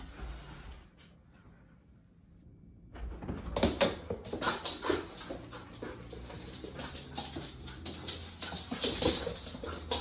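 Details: A 6-month-old Alaskan Malamute puppy gives soft whimpers and grumbles amid scuffling play noises after a quiet start, during a rematch with a black cat.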